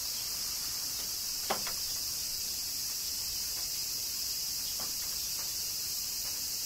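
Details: Cicadas in Kyoto, Japan, during summer rain: a steady, dense high-pitched hiss of insect song runs without pause, while a few sharp raindrop-like clicks break through.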